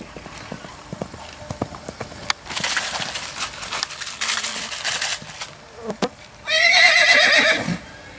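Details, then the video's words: Six-month-old Lusitano filly at a Brazilian stud farm, giving a loud, quavering whinny near the end, preceded by hoof clip-clops and bursts of rustling noise, with a person speaking Portuguese. "Pandora Aguilar 6 meses Cavalos puro sangue Lusitanos"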